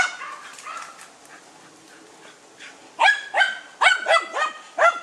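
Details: Dunja, a German Hunting Terrier facing a wild boar: faint distant yelping at first, then from the third second a burst of loud close barks, six in quick succession.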